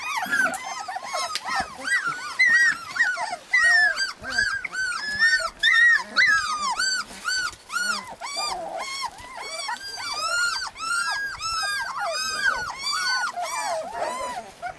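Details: A litter of husky puppies in Lapland keeps up a continuous chorus of rapid arched yips and whimpers, many pups at once, rhythm dense and uneven throughout.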